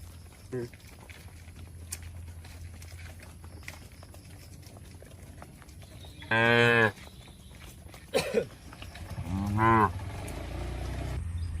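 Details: Cattle feeding on grass among oil palms in rural Indonesia; scattered lowing, one strong harmonic moo mid-clip and a wavering lower moo later, over a faint background hum and small knocks.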